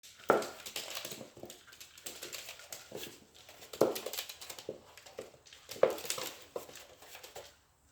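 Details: Puppy indoors, scared of a cat toy, gives three short, sharp, harsh barks spaced a few seconds apart, each dropping away quickly, with rustling and crinkling noises between them in a small room.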